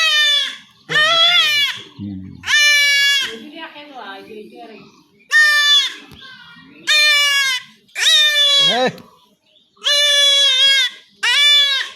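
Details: Repeated loud, quavering bleats from a young goat being castrated at home in a Bangladeshi village, about eight cries spread over twelve seconds, interspersed with men talking and handling noise.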